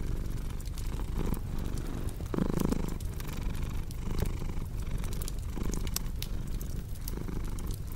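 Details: Cat purring over a crackling fireplace in a calming sleep track: soft low rumble pulsing with breaths, a brief slightly tonal murmur midway, and sharp fire snaps throughout.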